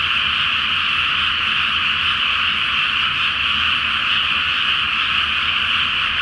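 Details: Many frogs calling together at night from a Japanese paddy flooded before rice planting, full flower moon above: a relentless, uniform chorus of croaks merging into one steady buzzing roar, unchanged from start to finish.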